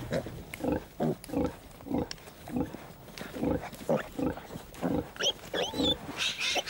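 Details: A farm sow lying on her side and her piglets, about 15 days old, at suckling time: grunting in short, repeated bursts about every half second, with a few high squeals from the piglets near the end.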